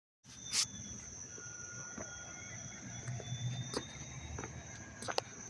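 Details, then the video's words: Crickets chirping on a dry, warm, sunny August 19, 2025 in Dobbs Ferry, New York: a steady high shrill drone runs throughout, with scattered sharp clicks and handling taps and a low background rumble. "sounds of the crickets chirping"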